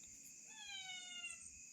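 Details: Domestic cat named Ramma gives one drawn-out, gently falling meow of about a second, tonal with bright overtones, over a steady high-pitched shrill of crickets.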